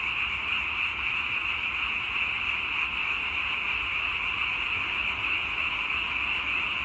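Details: A thick chorus of many frogs forms a constant bright trilling drone, unchanging in loudness across the whole stretch, with a faint low rumble underneath.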